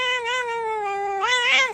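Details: Pet cat indoors with its owner, giving one long, drawn-out meow that holds steady and then rises and swells strongly toward the end, clear and loud with little background.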